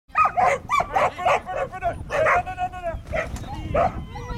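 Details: Border Collie at an agility training course in March 2011, giving rapid excited yelping barks, about a dozen in four seconds, some rising and falling in pitch.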